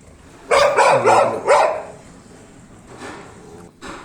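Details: A pit bull, called a fighter, gives a rapid burst of about four loud, harmonic barks within roughly a second, followed by quieter scuffling and faint thuds.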